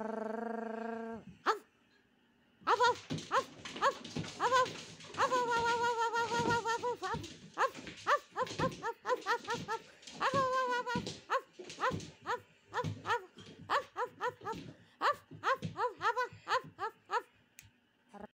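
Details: A cat that loves to play gives short, harsh, bark-like calls mixed with drawn-out yowling cries while fooling around.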